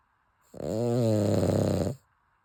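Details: A single drawn-out, rattling snore lasting about a second and a half from Chappy, a Cavalier King Charles Spaniel asleep indoors, with a low rumbling tone and layered harmonics.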